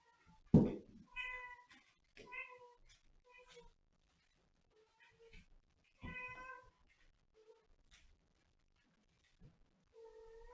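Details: Domestic cat Catterns meowing indoors in a small room, a series of short, clear tonal meows spaced a second or more apart, with quiet pauses and faint rustling between calls.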